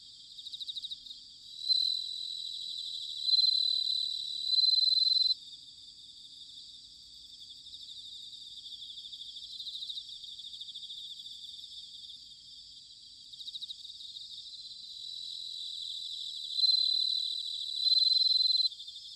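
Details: Bell crickets in autumn, recorded in Sanuki, Chiba, Japan: several loud bell-like pulsed trills lasting one to three seconds each, separated by quieter stretches of a continuous high-pitched insect chorus.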